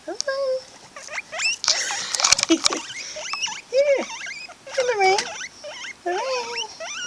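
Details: Late-night wheeking from two pet guinea pigs, Jen and Lo, around snack time: dense overlapping whistled squeals, some arching up and down, others sliding, amid rustling of bedding and brief clicks.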